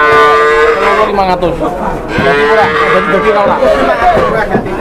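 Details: Cattle mooing while being weighed on a new livestock scale in Indonesia: long, drawn-out harmonic lows rising and falling, repeated, over busy background chatter from a crowd of people.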